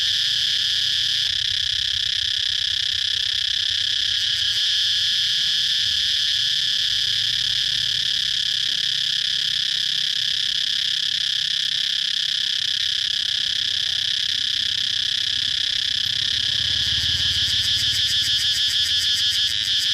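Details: Steady, piercing cicada drone holding one high pitch for the whole stretch, then breaking into a fast throbbing pulse toward the end, with soft low background noise.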